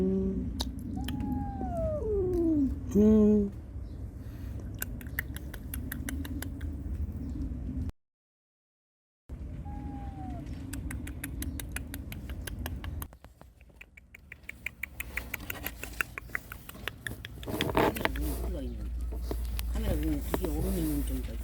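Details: Cats, including a mother guarding her kittens against an intruder and kittens crying for their mother: several high, arching meows, some falling, a loud harsh cry near three seconds, then a pause and clicking, tapping noises.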